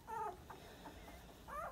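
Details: Tiny 23-day-old sandstone Dachshund puppies, weighed that day, giving two short tonal squeals, one at the start and one at the end, with a faint soft squeak between.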